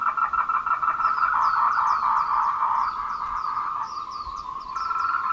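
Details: Tree frogs give courtship calls at 14:00 on 26 April 2018 on the Meiling Wulong trail in Nanxi, Tainan. A thick, continuous buzzing chorus runs throughout, with short, sharp high chirps coming and going above it.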